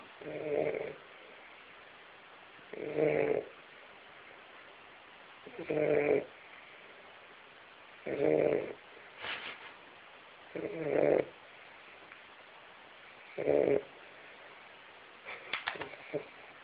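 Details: A Weimaraner named Lulu, a female, snores loudly while asleep, in slow, rasping breaths repeated roughly every two and a half seconds.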